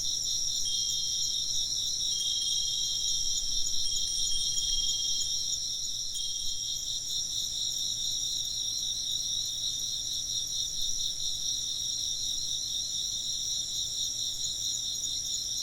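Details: Insects chirp in a dense, steady chorus of high, rapidly pulsing trills layered in several pitch bands. Clear wind chime tones ring out over the first half.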